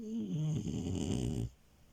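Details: French Bulldog named Milo, a sleeping puppy crashing a bed, snoring indoors: a long rumbling, rattling snore with a low nasal tone sliding downward, ending abruptly after about one and a half seconds.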